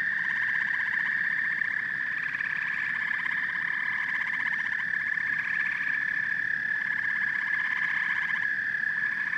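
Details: Frogs and toads trill together without pause: a bright sustained drone overlaid by repeated rattling pulse trains and short croaks, dense and even throughout.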